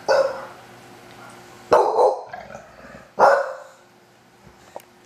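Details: A pet bulldog howls at a recording of itself crying as a puppy: three loud, harsh, abrupt vocal bursts, each fading quickly, spaced about one and a half seconds apart, then quiet with a faint click near the end.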